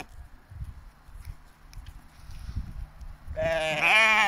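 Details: Sheep from a mountain flock in British Columbia, Canada, watched over by guardian dogs; soft low rumbling and handling noise, then a single strong, quavering, nasal bleat rises in the final second and runs to the end.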